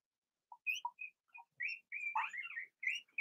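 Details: Blenheim Cavalier King Charles Spaniel puppies from a litter of six, born in early March, in an indoor puppy pen. A run of short, high squeaks and thin whines, some rising and some falling, comes in quick bursts with brief gaps.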